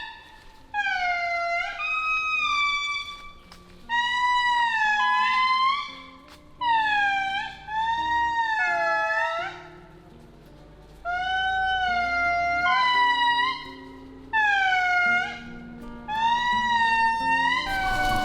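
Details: Indri, Madagascar's largest lemur, wailing in loud, horn-like bursts, several voices of a large family group overlapping in long gliding notes, high in rainforest at Andasibe National Park, Madagascar; they give this call about once an hour.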